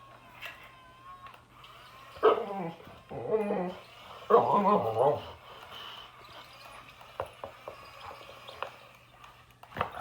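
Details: Boxer dog confronting an excavator, with short clustered yelping barks and whiny vocal bursts in the first half, then quieter scattered sounds and a steady low machine hum.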